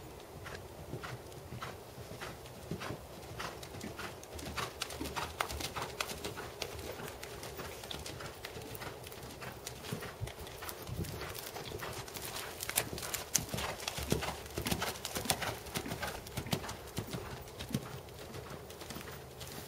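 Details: Tobias, a big black seven-year-old Percheron/Thoroughbred gelding standing 16.2 and schooled to 2nd Level, working in dressage: steady but uneven clip-clop hoofbeats, roughly a hundred a minute, over a low constant hum.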